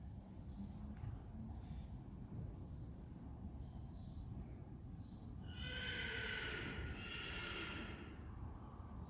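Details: Friesian horse from a herd, heard after training and riding on July 20, 2019: a single high, quavering whinny starts about halfway through and lasts over two seconds, above a steady low rumble.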